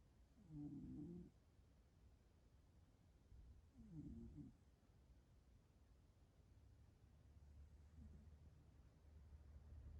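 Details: Two sleeping domestic cat brothers snoring softly: low, rough snores about every three and a half seconds, the third weaker, in a quiet room with a faint low hum.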